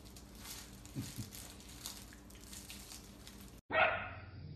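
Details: Playful miniature dachshund indoors in a small room. A single loud, sharp bark bursts out near the end after a cut. Before it come quiet room noise and a couple of faint, short whiny squeaks.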